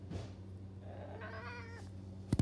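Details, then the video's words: Domestic cat meowing in a call and response with its owner, then running after them; a single drawn-out harmonic meow, faint under a steady low hum, ending in sharp knocks. "Cat does a call and response meow and then starts to runs after me."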